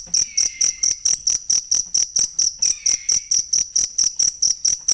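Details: Bright, metallic cricket chirps repeat quickly and evenly, a sound used to train songbirds. Two gentle, falling whistles are heard faintly underneath.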